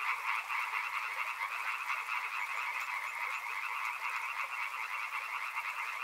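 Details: Continuous frog chorus beside a river, many overlapping callers producing fast, rattling croaks in two stacked pitch bands that hold steady throughout, no gaps or other sounds standing out.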